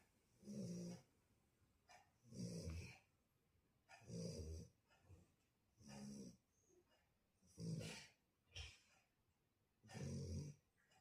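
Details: Shar Pei snoring while asleep: deep, rough, low rumbling snores in a steady breathing rhythm, one every one and a half to two seconds, with soft airy hiss between them.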